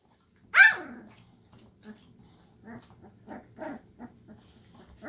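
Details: Llewellin Setter pups, 2.5 weeks old, active in their box one evening after their mother stirred them up; one loud high yelping bark opens, followed by a string of soft short grumbling growls.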